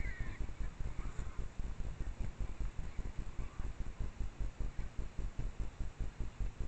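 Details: At dusk in a Japanese mountain cedar forest, a trailcam catches a wild boar sow suckling piglets: a rapid, even train of low grunts dominates, with a sharp high squeak at the start and a few fainter squeaks later.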